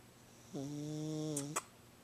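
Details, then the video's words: Gidget, a female pet cat, snoring while asleep, louder than usual: one steady, droning tone held for about a second, ending with a faint click. "Gidget Snoring"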